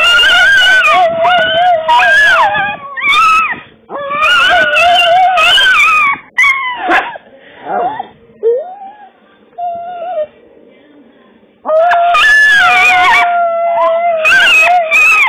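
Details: Two pet dogs howl along to the Swedish song "Vilken härlig dag", a habit of theirs. Long wavering, sliding tonal howls rise and fall over loud background music, with a quieter stretch of whimpering mid-way before the singing resumes.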